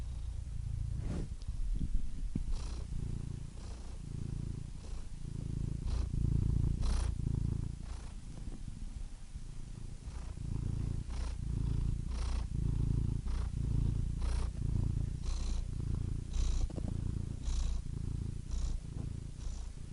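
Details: Cat purring with a low, gravelly rumble, the breathing cycles quicker and less even, with occasional sharper breathy clicks and slight swells in loudness; quiet, close recording with nothing else heard.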